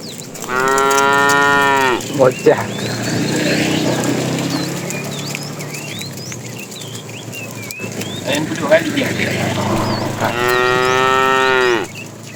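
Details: Fat male cow calling to the female as tame cattle are herded in the afternoon: two long, strong moos about eight seconds apart, with scattered bird chirps and light rustling between them.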